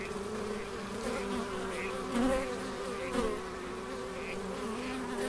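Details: Several bees buzz continuously in a Scottish garden at Elgin, Moray, the low hum rising and falling slightly as insects pass closer, with two brief louder swells midway.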